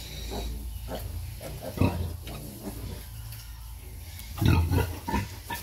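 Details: Mother pig suckling piglets, a couple of heavy, deep grunts separated by a quieter stretch of soft rumbling and snuffling.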